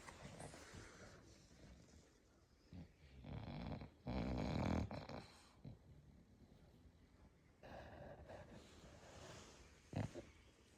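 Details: Sleeping English Bulldog indoors, one of five kept in a home, giving uneven snorting, wheezy breaths; one louder rattling snore near the middle and a short snort toward the end, with quiet stretches between.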